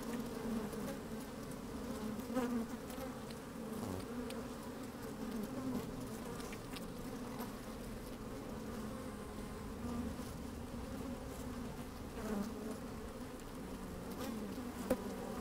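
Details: Busy honey bees in an open beehive, recorded from inside the hive on a sunny, slightly windy day: continuous low droning buzz throughout, with scattered short rustling clicks and occasional louder buzzing bursts.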